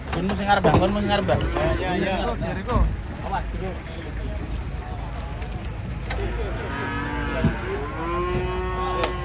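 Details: Huge bulls warned as dangerous, unloaded from a truck: several short arching moos at the start, then a longer, smoother moo later, over background chatter and vehicle rumble.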